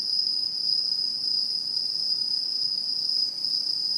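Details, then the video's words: Short stretch of autumn insects calling in satoyama countryside, 2016, one sustained high-pitched trill, steady in pitch and loudness, softening slightly just past three seconds. "秋の虫の鳴き声(Cry of the fall of the insect)"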